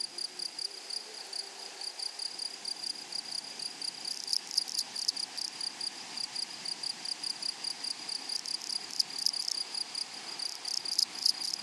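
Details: Meadow grasshoppers give a continuous thin, high buzz. After about four seconds it swells into bursts of raspy pulsed chirping that repeat through the second half, with a brief low murmur early on.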